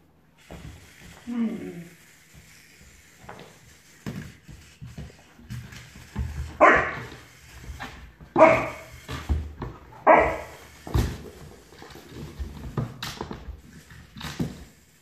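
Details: Puppy barking at a toy as it gets braver: a soft whine, then three loud barks roughly two seconds apart, mixed with clattering and a person speaking nearby.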